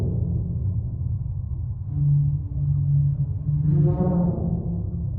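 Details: Humpback whale. A humpback whale sings in long, low moaning tones that hold steady, then gives a brief rising-and-falling wail with bright overtones. A constant deep underwater rumble fills the background.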